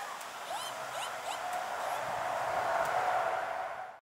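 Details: Bush dog puppies, about 3 months old (two males, three females) at Twycross Zoo, Atherstone, England, squeak in quick, high, upward-flicking bursts during a brief, minor squabble.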